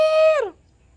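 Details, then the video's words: A puppy "talking": one steady clear tone held briefly, then bending downward and fading, rich in even harmonics, with quiet room noise after. "now she's talking"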